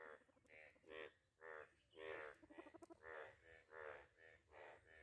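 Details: Frogs in a village pond after rain give loud, nasal croaks in quick succession, about two each second, overlapping in a small mating chorus; a duck is also present.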